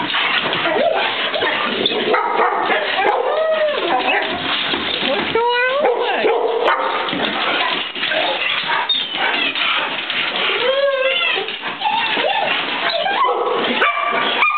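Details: Four pet dogs, two Golden Retrievers, an Australian Shepherd and a mixed-breed, greet their owner returning home after a week away; excited high whines rising and falling, short yips and barks, with a man talking over them.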